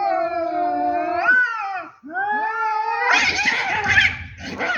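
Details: Fighting between two cats: a sustained harmonic yowl, then a rising wail that breaks into a harsh, noisy hiss-like scream near the end.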